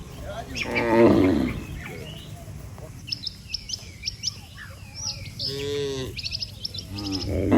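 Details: Tame cattle moving home to the barn as a herd after grazing all day: a loud rough moo at the start, then quieter moos later, amid scattered bird chirps and low rumble.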